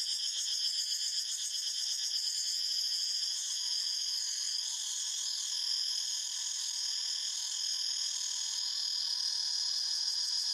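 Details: Cicadas calling in a forest: a dense, unbroken high-pitched buzzing chorus with several layered shrill tones and a faint rapid pulsing throughout, steady in loudness from start to end.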